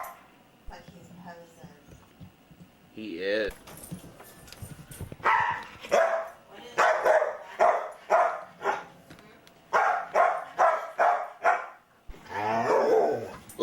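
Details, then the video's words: Talkative foster dog Luca barking in a rapid, uneven series of sharp barks, about a dozen in a row, after a rising whine, indoors with a person talking; the mailman had just come by. "The MANY Sounds of Luca"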